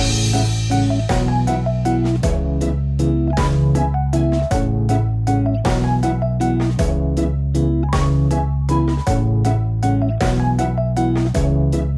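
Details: Only a steady, bass-heavy instrumental tune plays, with keyboard-like chords and a regular beat; no animal voices are heard.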